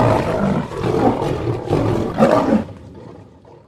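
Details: White lion roaring: deep, rough, breathy roars in three or four surging pulses, about one per second, fading into low grunting breaths at the end.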